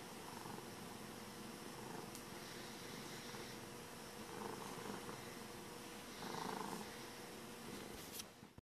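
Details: A happy domestic cat purring indoors: a steady, low, rumbling vibration that runs through the whole stretch without pause, swelling slightly in loudness a few times, with faint room noise behind it.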